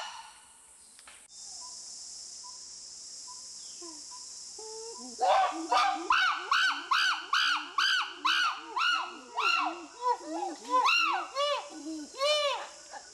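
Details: Chimpanzee pant hoot, a ventilatory display of strength and dominance: soft low hoots and breathy sounds build into a rapid series of loud, arching screamed hoots, about two per second, over a steady high hiss early on.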